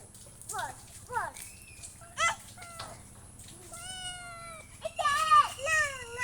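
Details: A domestic cat meows several times: short arched calls early on, then longer, drawn-out harmonic meows rising and falling toward the end, with people talking quietly in the background.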